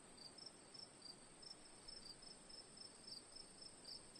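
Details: Crickets chirping as night ambience, brief high pulses spaced roughly every third of a second, layered over a constant shrill insect drone and low background hiss.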